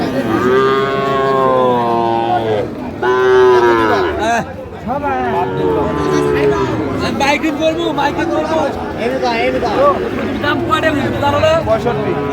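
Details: Sahiwal bull calves on sale at a Chattogram market, Bangladesh, 7 March 2025, moo repeatedly: a run of loud, sustained, slightly bending lows, one after another, amid the chatter of traders and a crowded open-air market.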